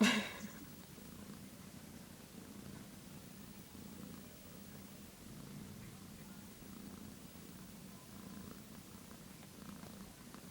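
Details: One-day-old kittens keep up a low, continuous purring drone for about ten seconds after a sharp thump at the start, with soft rustling.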